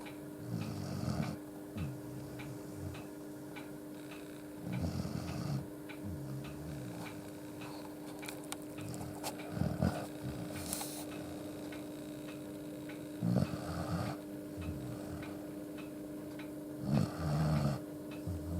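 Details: Akita named Yuki asleep with his head on a person's foot, snoring loud enough to fill the room, head tilted upward; deep rumbling snore bursts roll in roughly every four seconds over a steady low indoor hum.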